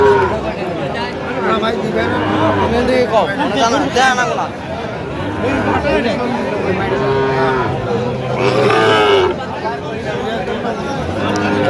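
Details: Sahiwal bull calves at a Bangladeshi cattle market on 29 November 2025, being bought by a Dhaka farmer; deep, drawn-out low moos recur several times over steady crowd chatter and bargaining voices.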